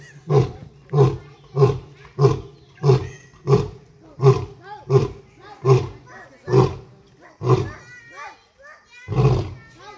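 A lion gives a steady series of deep, hoarse grunting roars, about one every two-thirds of a second.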